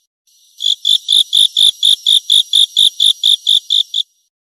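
A grasshopper gives a run of dry, buzzy rasps, evenly spaced about every quarter second.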